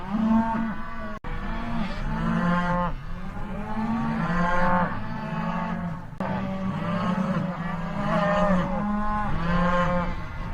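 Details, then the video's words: Cattle lowing continuously, a chorus of long, deep, harmonic moos that swell and fade roughly every second or two, several animals calling over one another without pause. "cow videos sound effect pictures mooing video sounds cows effects"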